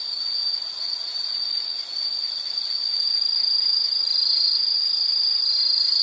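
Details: Insect sound from a nature scene: a shrill, sustained high note that swells slightly in loudness partway through, with a weak upper overtone and no other sounds.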